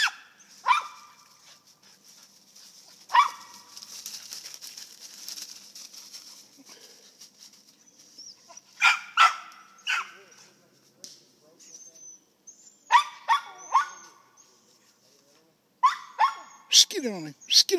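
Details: Squirrel dogs from a western Kentucky kennel at a tree, urged on by a handler; scattered single and paired barks break a long stretch of hiss and rustling, growing more frequent toward the end.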